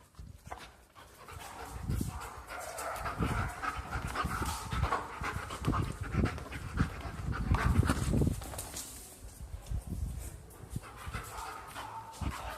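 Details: Pet German shepherd dog playing at home, giving uneven bursts of heavy panting with low huffing breaths, loudest around the middle, amid rustling and movement noise.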